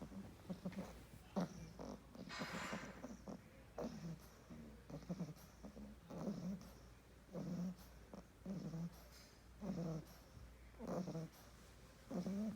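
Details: English Bulldog puppy snoring while asleep indoors: low, rough, snuffling breaths in short bursts, roughly one per second, with soft huffs between them over a steady faint hum.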